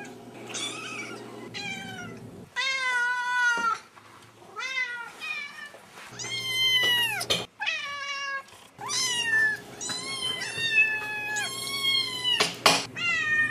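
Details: Two house cats, young and grown, meow repeatedly: bright, harmonic cries arching up and down, some long and drawn out, others short, overlapping in places, with a couple of sharp clicks and a low background hum.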